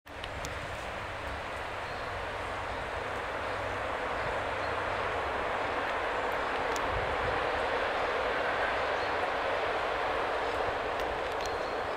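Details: A steady broadband rumble like a passing train or heavy traffic fills the whole recording, with a few faint ticks and no animal voice.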